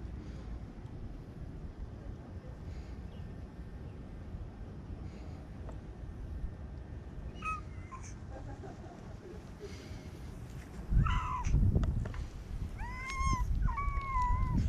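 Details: A white stray kitten in Okinawa, being held, gives a few short, rising then level meows near the end, mixed with rustling and handling thumps, after a stretch of quiet background hum.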